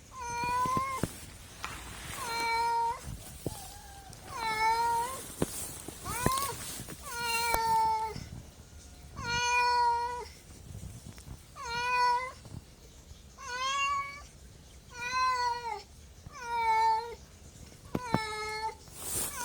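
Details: Pet cat meowing insistently, around eleven meows over twenty seconds, each rising slightly then dropping, interspersed with soft clicks and thumps from the room.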